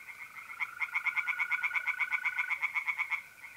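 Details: Tree frogs chorus in a pond at night in April, north-east Italy, giving a fast, evenly spaced series of harsh croaks, several per second, with mole crickets trilling steadily underneath.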